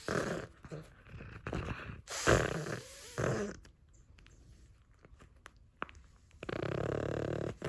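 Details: Nova the pug, female, at play with a crinkle toy, gives loud throaty snorting breaths with growl-like rasps in bursts, then a quieter pause before steady rustling noise returns.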